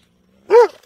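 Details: A dog gives one short, sharp bark with an arched pitch, preceded by a faint low hum.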